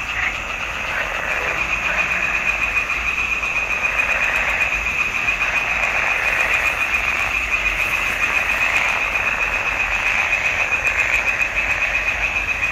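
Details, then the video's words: A chorus of frogs in a swamp pond during June 2021, many voices merging into a constant, evenly pulsing high buzz that runs without pause throughout. "Il canto delle rane in palude"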